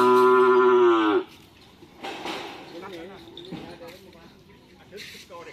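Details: During karapan sapi bull-racing training in Menjep, Madura, cattle give one strong, steady moo lasting just over a second. It ends abruptly and is followed by crowd chatter and scattered noises.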